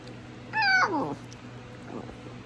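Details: Basenjis often meow, especially on waking in the morning as a greeting-yawn, while prompted indoors. Here a Basenji gives a short, cat-like meow that slides downward, then a faint second whine.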